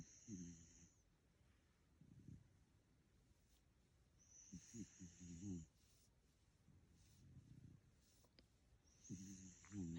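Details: A sleeping dog snoring: low, rough, pulsing grunts on each breath, with a thin high whistle between them, the cycle repeating every four to five seconds.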